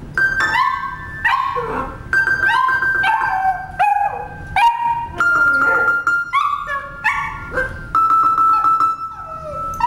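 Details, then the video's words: Young pet puppy singing along to music: a series of high wavering howls that rise and fall, some held as long whistle-like tones, over accompanying instrumental music. "rocky sings"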